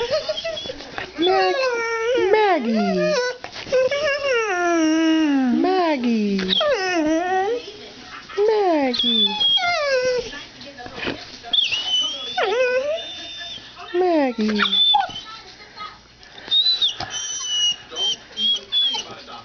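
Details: Two pet dogs, Annie and Maggie, indoors in a cluttered room while their owner prepares to move, one trained to say "mom": repeated drawn-out, bending whines and howl-like cries rising and falling, interleaved with a person's voice.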